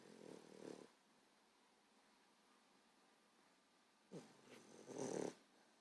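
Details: A sleeping 14-week-old female English Bulldog puppy gives loud, low, rattling snores about four seconds apart, each a coarse breathy rasp under a second, quiet breathing between, the second louder than the first.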